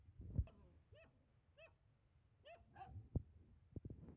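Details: Playing German Shepherd puppies let out a series of brief, upward-flicking yips and whimpers, about five in four seconds, between dull knocks and rustling of play.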